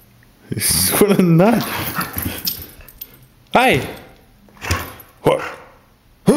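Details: Pinky, a female Pit Bull and Boxer mix, charging around an apartment after her walk and attacking a sock: a wavering whiny vocal early on, then short, sharp barks with an arched pitch, spaced about a second apart, with people talking.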